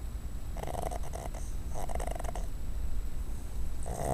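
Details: ['Cuddles, a female pet dog, sleeps on a desk indoors and snores in rough, buzzy bursts, about three snores spaced roughly a second apart, over a low steady room hum.']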